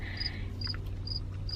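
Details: A cricket hiding in a rick of firewood outside at a campground in August chirps in short, high, pure-toned pulses, roughly twice a second, over a low rumble.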